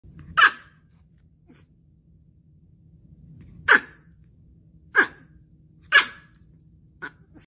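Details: Scared dog giving short, sharp single barks, five loud yaps spaced one to three seconds apart with a faint low hum between them.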